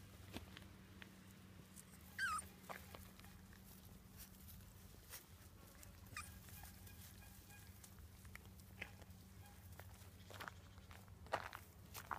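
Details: A one-month-old Staffordshire Bull Terrier puppy gives a brief, high whimper that slides downward, over a steady low hum.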